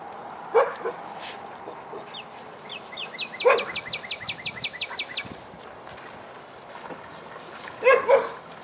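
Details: Biscuit and Jericho, Vizsla dogs in a den playtime session, give a few short barks spaced seconds apart, while a bird sings an evenly repeated series of high chirps between them.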